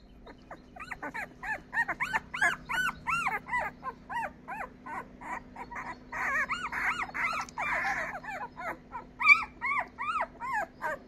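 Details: Twelve-day-old Labrador Retriever puppies, a litter of five, give a busy chorus of high, squeaky whimpers and yelps, many short arched cries overlapping and repeating rapidly, with a steady low hum beneath.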